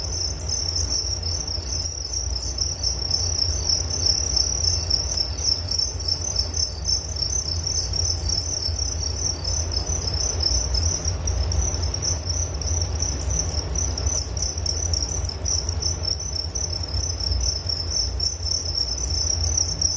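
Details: Steady, bright cricket trilling runs on without a break, a fast pulsed high buzz from several insects layered together, accompanied throughout by a deep low hum.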